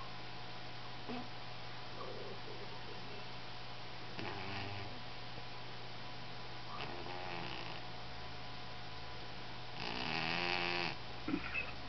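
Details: Pet cat named Biscuit snoring louder than normal, asleep indoors: soft rasping snores in separate bursts near four, seven and ten seconds, the last one loudest and harmonic, over a steady low electrical hum.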